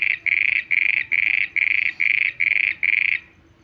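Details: A frog calling at night: eight loud, buzzy notes in quick even succession, a little over two per second, then a sudden stop. The background stays quiet apart from a low hum.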